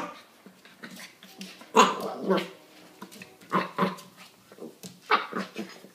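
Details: Corgi barking indoors in a small room, a few sharp broadband barks spaced irregularly across six seconds, with quieter voices and thumps in between.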